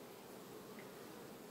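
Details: Honey bees at a beehive on 31 August 2019, in a beekeeping setting: a steady, even droning hum without breaks, soft and dense, holding a constant low-mid pitch with a broad hiss above it.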